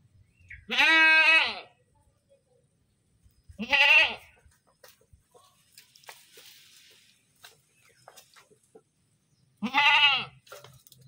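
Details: Goat screaming: three loud, harmonic, quavering bleats near the start, middle and end, separated by long quiet gaps with faint clicks and rustling.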